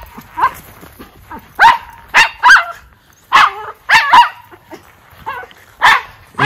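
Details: Two Miniature Schnauzer brothers in coats run outdoors in 14°F cold on December 12, 2022, after three weeks cooped up inside. They give sharp, loud barks in irregular bursts, about 35 a minute, with quieter yips between.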